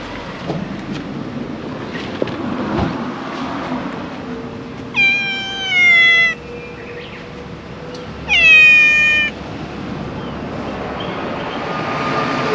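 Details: Brown tabby stray cat outdoors at a convenience store parking lot in Japan: two long, strained meows about three seconds apart, the second louder and bending downward, with a faint low hum and distant traffic underneath.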